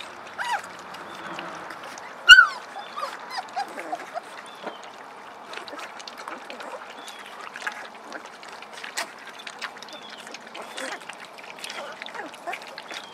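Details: Puppies of the Beretta and Jericho litter at the early discovery stage, playing and eating puppy mush: thin, high, arching whimpers and squeaks come in scattered bursts, one sharp squeal early on, over soft wet slurping and splashing.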